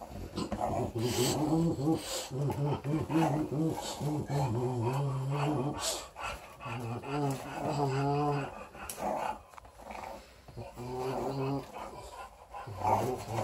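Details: A 4-week-old female English Bulldog puppy, playing with her teddy bear, gives a run of low, throaty growls in short rumbling grumbles that rise and fall in pitch; a person's voice in the background.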